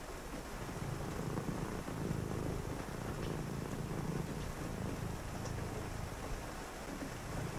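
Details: Domestic cat purring indoors on a rainy night during a quiet reading session: a steady, low, rumbling purr with fine pulsing texture, rising and easing slightly, over a constant soft hiss of rain.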